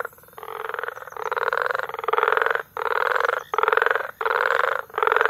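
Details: Frog chorus recorded in May at Bagamoyo, Tanzania: dense, rasping pulsed calls in bursts of about half a second to a second, separated by brief gaps, overlapping voices filling the mid range.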